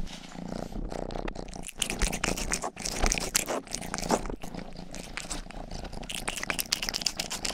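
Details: Rang-i, the household's youngest pet cat, grooming close to the microphone while purring for an ASMR session; busy crisp licking strokes and rustling dominate over a steady low purr throughout.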